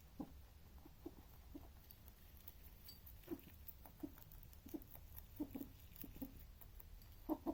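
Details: Male rabbit making strange noises while eating: short, low, muffled grunting bursts repeated roughly every half to one second, growing louder toward the end, over a quiet indoor background hum.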